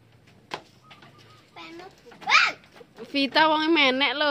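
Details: Young goats, including a three-month-old named Vita, kept with others called Aisyah and Naura, at play; a wavering, harmonic bleat rises and dips for about a second after a few soft voices and brief human chatter.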